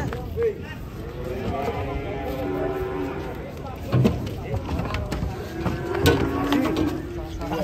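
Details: Cattle in a crowded pen, one said to be agitated and raging; two drawn-out, low, harmonic moos, the first near the start and a second longer one later, over men's excited talk and clattering knocks.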